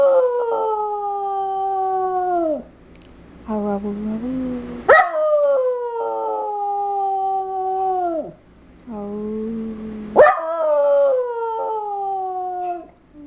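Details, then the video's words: Schipperke female singing when prompted by her owner: repeated long, slightly falling howls of two to three seconds, each opening with a sharp yip, separated by lower wobbly whines, the owner's voice faint in the background. "Schipperke Rock Star!"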